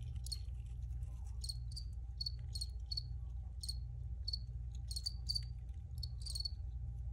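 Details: Recorded crickets give sharp, repeated chirps, some doubled, spread unevenly across the few seconds, while a constant low rumble lies beneath.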